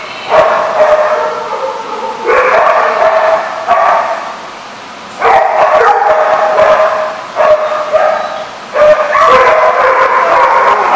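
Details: Several kennel dogs bark and yip in loud overlapping bursts, each lasting one to three seconds, separated by short quieter gaps.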